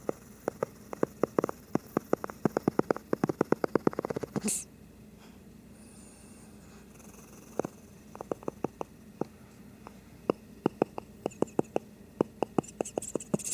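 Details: Shih Tzu asleep and snoring: rapid sharp rattling snorts come in runs, break for a quiet stretch with one rustle, then resume as a steady series of clicking snores over faint hiss.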